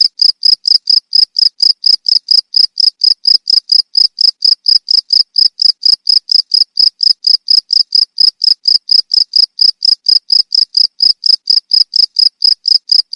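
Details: Loud cricket chirping: sharp, shrill pulses repeated rapidly and regularly, roughly three or four per second, continuing unbroken against a quiet background.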